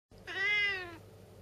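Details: A stubborn, talkative female Siamese cat gives one clear, drawn-out meow lasting under a second, steady in pitch with a rich harmonic tone and a slight fall at the end, in a quiet room.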